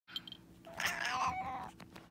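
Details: A cat gives an unusual, strained meow, rising and wavering for about a second, preceded by two short high squeaks, in a small indoor room.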